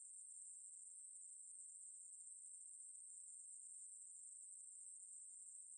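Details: Ruspolia katydid (maebuli) singing a continuous, high, hissing buzz that holds a steady pitch without a break throughout. No other sounds are heard.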